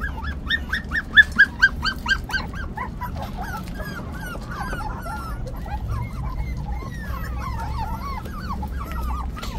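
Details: Hailey, a puppy of five weeks, opens with a string of loud sharp yips, then slides into softer wavering whimpers that rise and bend, repeated roughly twice a second against a quiet low background hum.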